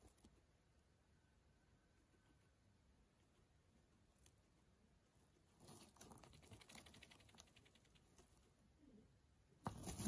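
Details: Male guinea pig Pano eating greens at home in Japan; after a quiet start, a dense burst of rapid crunchy clicks breaks out midway as he bites in, ending with a sharp loud knock.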